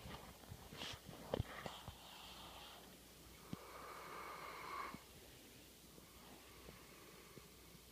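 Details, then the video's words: Male Labrador Retriever service dog asleep after a day's work, snoring loudly indoors: a rasping, droning breath swelling for about a second and a half, preceded by shorter snorting breaths and soft clicks. "Loud snoring lab...very loud"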